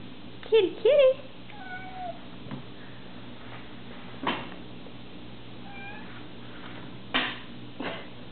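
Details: Domestic cat indoors giving two short, rising-then-falling meows in quick succession, followed by faint softer mews and a few clicks and knocks, with a low steady background hum.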